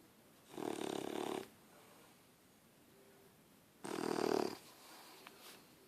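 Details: A sleeping puppy snores while lying on a person: two long, breathy rasping snores about three seconds apart, each lasting close to a second, in a quiet indoor room.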